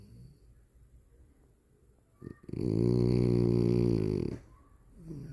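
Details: Dog named Cola snoring indoors: one long, loud, buzzy snore lasting about two seconds in the middle, with quiet breathing before and after.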